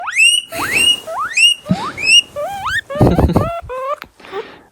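A guinea pig gives loud, repeated wheeks, shrill rising whistles that sound almost like an alarm.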